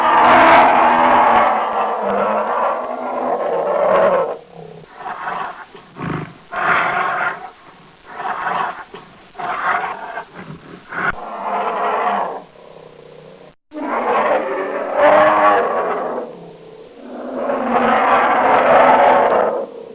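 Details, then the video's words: Big brown bear giving harsh, throaty roars and growls in repeated uneven bursts, some long and loud, others short and softer, with a short silent break before the final louder calls. "Brown Bear Roar"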